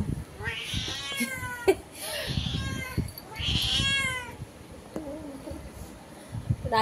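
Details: Domestic cat talking through a window with a cat outside, giving four harmonic meows, the first and third longest and loudest, with a person speaking Bengali between them.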